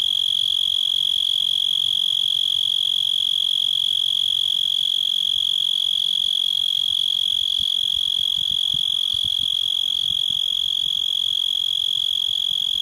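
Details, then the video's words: A cicada in a yard sings a loud, steady, high-pitched whine that holds unbroken from start to finish. "Cicada Song"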